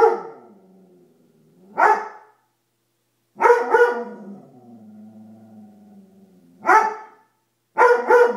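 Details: Dobermann, afraid of a coat it seems to take for a monster, gives loud harmonic barks in short bursts separated by pauses, with low whining growls trailing between the barks.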